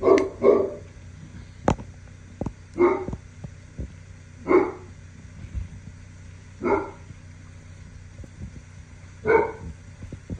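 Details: Three-week-old Cane Corso puppy that does not like being touched, letting out short gruff bark-like grunts in bursts roughly every two seconds, with quieter background sounds between them.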